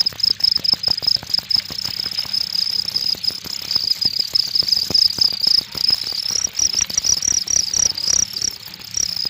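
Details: Cricket trilling continuously at a high, steady pitch in fast pulsed bursts, a dense shimmering chirp with soft clicking noises below.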